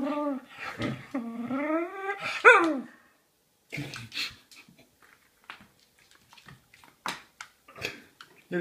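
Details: Pet dog, one of two, vocalizing while begging for food: a few seconds of high, wavering harmonic whines and yelps that rise and fall, then a sharp yelp, followed by softer scattered sounds and a person's voice.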